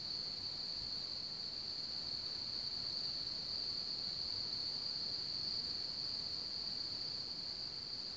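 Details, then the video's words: Crickets from one of the largest cricket populations in Bohemia, around Hamr near Chlum u Třeboně, Czech Republic, give a continuous, steady, high-pitched trill that never pauses, with only a faint rural hiss beneath. "Cvrčci v Hamru"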